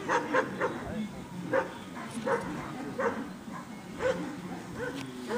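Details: Amba, a Labrador Retriever, at Freedog defence training, giving quieter quick barks in short clusters, with human voices talking beneath them.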